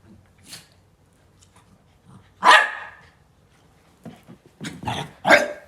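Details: Dog making odd, monster-like vocalizations rather than ordinary barks: a loud harsh rasping burst around two and a half seconds, then a cluster of rough grunting and growling sounds toward the end, with quiet gaps between.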